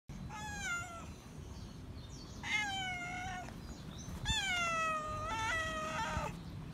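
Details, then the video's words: Feral cat that still remembers a familiar person, meowing loudly for attention and love: three drawn-out, harmonic-rich meows, the first and last bending downward, the middle one steady, against a low background rumble. "Feral Cat Still Remembers Me, Meowing Loud For Attention And Love - Cats Meowing"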